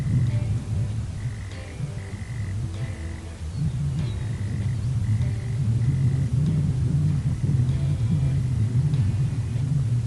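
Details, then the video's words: Single male prairie mole cricket in Oklahoma giving its mating call, made from March and usually starting at sunset: steady, buzzy trill in short bursts of about half a second, repeated in a regular series, over heavy low wind rumble. "this is the sound of a single male Prairie mole cricket call"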